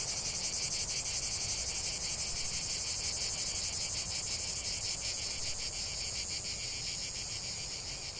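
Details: Cicada song filling a calm nature soundscape: an intense high, rasping buzz pulsing rapidly and regularly, holding steady for the whole stretch, with a faint low-pitched rumble underneath and no other clear sounds.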